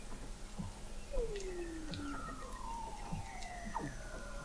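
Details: Weddell seals under sea ice in McMurdo Sound, Antarctica, November 2017, from an observatory 21 m below the ice: faint slow descending glides overlap through a noisy hiss, with soft short chirps scattered between them.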